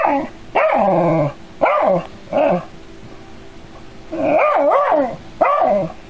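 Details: Dog facing a robotic android cat, curious but scared: a series of sharp bow-wow barks, three spaced about a second apart, then a quick double bark and a final single bark, with quiet gaps between.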